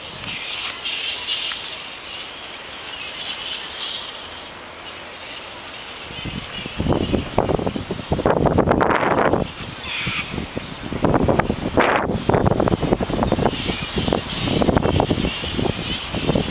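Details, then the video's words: Flying foxes, also called fruit bats, in a frenzy at the Royal Botanic Gardens, Sydney, Australia, 16 December 2009. Quieter background for six seconds, then a dense, loud mass of harsh screeching and squabbling calls with steady crowd noise. "Flying Fox/Fruit Bat Frenzy"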